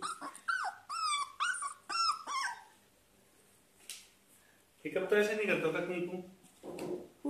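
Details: A one-month-old Labrador Retriever puppy, on his first day in a new home, plays with yellow slippers, letting out a run of high, falling whines in quick succession, followed by a person talking and a few rustling sounds.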